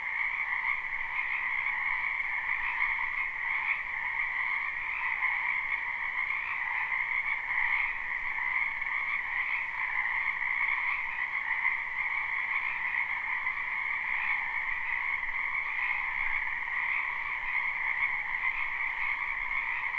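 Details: Spring wetland chorus of numerous frogs, live with no looping: continuous overlapping high-pitched trills blend into an even, shimmering wall of sound that holds steady throughout, with a fainter lower tone running alongside.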